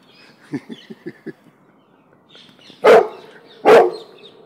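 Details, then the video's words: Cane Corso mix, scared by a balloon, gives two loud deep barks nearly a second apart after a run of soft tapping sounds. "BALLOON PHOBIA Cane Corso Mix Terrified"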